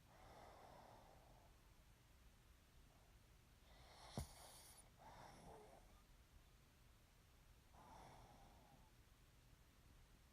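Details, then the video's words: Sleeping pug breathing noisily, with soft, airy snoring breaths at irregular intervals. A brief sharp snort sounds midway through. "Snoring Pug"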